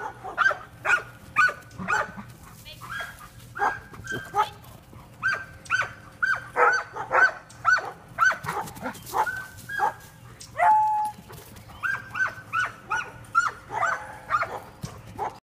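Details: Stealer, a Giant Schnauzer, keeps up quick, high-pitched yelps and whines while chasing a flashlight, in steady bursts across the whole stretch, with faint human voices now and then.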